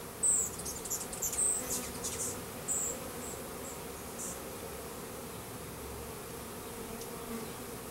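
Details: Honey bees of a Russian/Carniolan hybrid, about 10,000 workers and a queen from a 3-pound package, installed into a new hive in April 2012; continuous mid-pitched drone, with a few high thin chirps early on.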